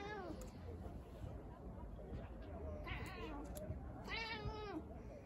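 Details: British Shorthair cat, a female, out on her balcony: two clear, drawn-out tonal meows, each bending up then down, while people talk and a constant low hum fills the background.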